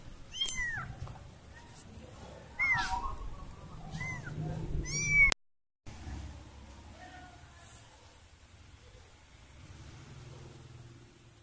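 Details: Kitten that lost her family meowing: several short, high, rising-then-falling cries over the first five seconds, growing louder and more urgent, then a brief silence followed by quiet room noise.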